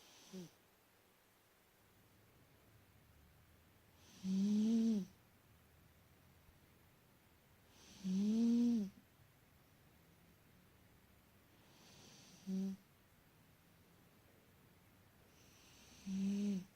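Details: Sleeping pet cat Travis Bickle snoring up a storm indoors: loud harmonic snores recurring roughly every four seconds, each about a second long with a rough, rattling tone, quiet breaths between.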